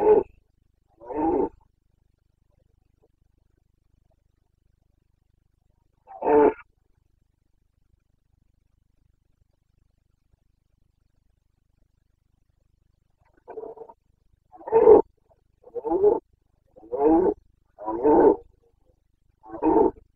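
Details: Rutting red deer stag, Carpathian mountains of Bucovina, September 2022: a few isolated coarse bellows with long silent gaps, then a rapid burst of six or seven short, guttural roars near the end.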